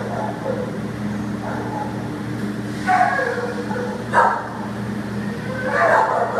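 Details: American Pit Bull Terrier at a shelter awaiting adoption, recorded 15 September 2015: a few short, harsh barks spaced over several seconds, separated by quieter stretches, over a steady low hum with faint voices.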